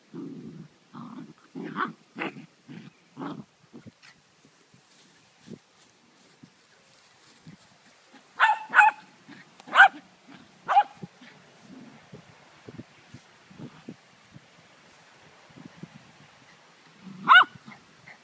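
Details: Poodle playing with a Dogo puppy, a pair of dogs trading short low growls at first, then louder snapping barks and yelps, with scattered soft rumbles and a final sharp bark near the end.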